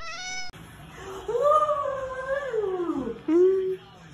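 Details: A little cat gives a long drawn-out, wavering meow that rises, holds and then sags over nearly two seconds, followed by a shorter, upward-sliding meow, with faint room noise in the background.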